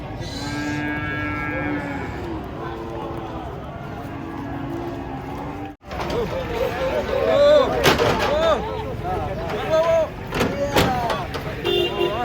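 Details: Giant cattle being unloaded from a truck, one stepped on by another: long, steady, harmonic moos fill the first six seconds, followed by men shouting warnings, clatter and knocks.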